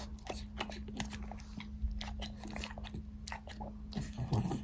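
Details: A French Bulldog eating fruit snacks such as strawberry and apple, with wet crunches and smacking bites in quick irregular bursts.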